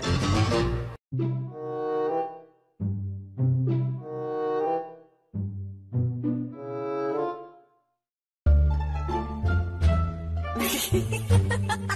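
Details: Dramatic bowed strings play short swelling phrases separated by silent gaps, then a fuller orchestral passage, with no animal voice.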